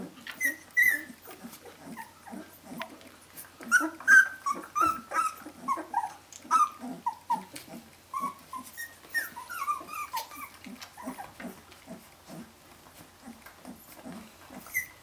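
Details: Brenda's 17-day-old puppies, the Jolly Joker litter of Phantom of Scotland, calling for their mother: a dense chorus of high squeaky whines and yelps overlapping several times a second, some rising, with soft low grunts beneath.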